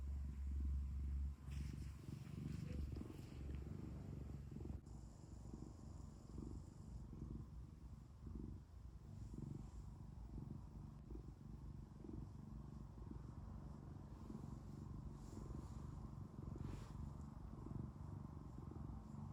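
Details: House cat purring, a deep, grainy, vibrating rumble rising and falling with its breathing, with a steady low background hum during the first few seconds.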